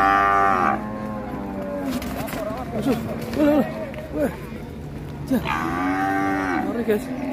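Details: Black sacrificial cow rampaging off a truck at Siyono Harjo market, opening with a brief bellow, then men speaking, then a second longer moo that rises and falls, over steady background crowd noise.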